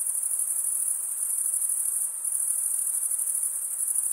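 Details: Crickets stridulating, the males rubbing one wing's toothed vein against the other, in a continuous high-pitched shimmering trill with a steady pulsing texture and a faint softer hum beneath.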